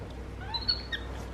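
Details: Pet capuchin monkeys MonkeyBoo and his baby brother MonkeyHappy talking to each other while snuggling: faint, thin, high whistled chirps, a few short level and gently sliding notes over a low background hum.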